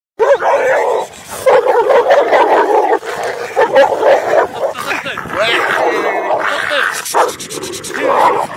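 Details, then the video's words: Dogs fighting, with a small dog winning: continuous loud snarling, growling and yapping, dense and overlapping throughout, with a human voice shouting briefly near the end. "Small dog win the fight"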